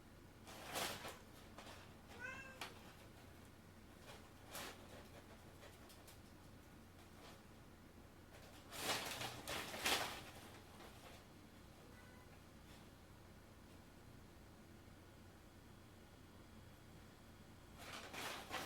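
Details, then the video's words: House cat playing among boxes and paper, meowing briefly a few times amid loud crinkling paper and cardboard bumps, with quiet stretches between the bursts of rustling. "Noisy Cat"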